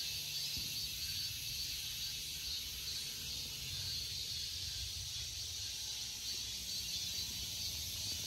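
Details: Cicada droning in a steady, unbroken high-pitched hiss that never pauses, with a low rumble of background noise underneath.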